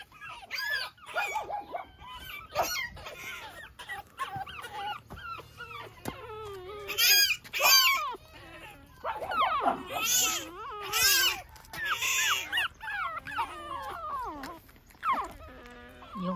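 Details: Several young Pekingese puppies fussing outside early in the morning: a continuous tangle of wavering whines and squeaky yelps, some loud broadband bursts, with faint low background hum.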